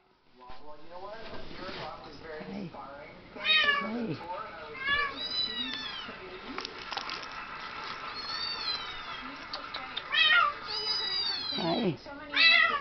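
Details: Seven-week-old male Bengal kitten indoors, giving several short high arched meows, a few spread through the recording and louder ones near the end, while a person talks over much of it.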